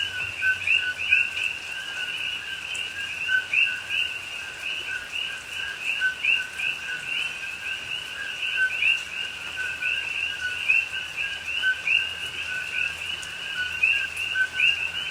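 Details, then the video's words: Coqui frogs calling at night in rain in a Hawaii rainforest at Pahoa, October 2021: a dense, unbroken chorus of many overlapping two-note chirps, a lower steady tone under higher rising whistles, with a faint soft hiss behind. "Hawaii Rainforest Rain and Coqui Frogs Sounds"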